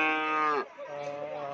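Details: Madura crossbreed cow of the Madrasin type giving a short, loud, richly harmonic moo that slides downward at the end, then a quieter, lower sustained lowing.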